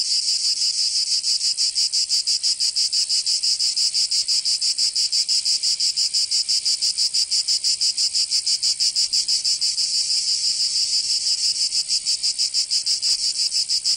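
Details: Provençal summer cicadas in southern France produce an unbroken, piercing high buzz, pulsing evenly about three times each second across the whole stretch, a steady insect wall of sound without other noises.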